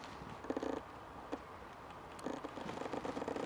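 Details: A red fox cub in the Welsh countryside gives low, rapidly pulsed purring chatter in two short bursts.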